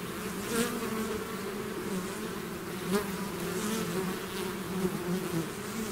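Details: Dense buzzing of a bee swarm out of its hive: a constant, many-voiced hum with shifting low tones, and brief louder swells as individual bees fly past near the microphone.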